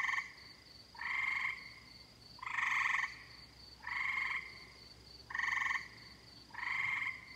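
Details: Summer tree frog chorus: harsh buzzy calls about half a second to a second long, spaced about every one and a quarter seconds, with a faint continuous high-pitched hum behind them.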